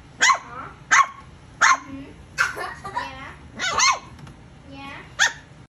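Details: Young female Corgipoo pup discovering her bark, letting out a run of sharp, high-pitched yaps roughly every half second to second, some doubled, with a person speaking gently between them indoors.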